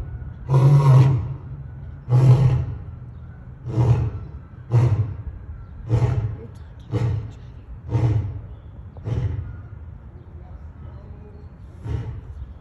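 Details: Two lions at Brookfield Zoo give a series of deep, grunting roars, each burst shorter and spaced about a second apart.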